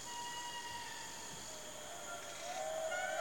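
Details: In dense Madagascar cloud forest, a female indri of a group wails in long, sustained, whistle-like tones audible for miles, announcing the group's territory, while a neighbouring group answers.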